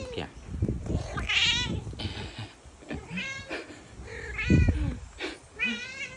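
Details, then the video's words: Tabby cat meowing several times, about four drawn-out, wavering meows spaced a second or two apart, over steady low rumbling noise with some human voices. "Meow meow meow"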